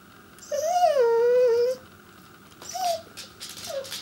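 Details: Pembroke Welsh Corgi named Chester, at home, seeking his owners' attention with one long, wavering whine that starts higher and settles lower, followed by two short yelps; a faint constant hum runs through the background.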